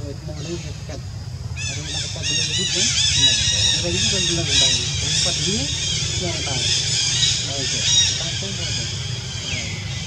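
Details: Jazzy, a monkey hurt all over its body by ant bites, crying: rapid, high-pitched, arching squeals repeated roughly twice a second, with lower voice-like sounds and a steady low rumble beneath.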